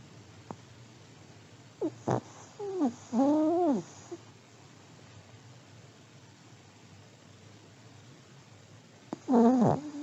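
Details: An aged Pomeranian dozing: a string of short, rising and falling nasal squeaks and whistled snorts, then a pause, and one more bent, whining snore tone near the end.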